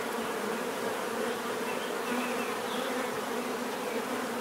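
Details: Bees buzzing as a thick, even drone, overlapping wingbeat hums with no pauses, a constant swarm murmur filling the short stretch without other clear sounds.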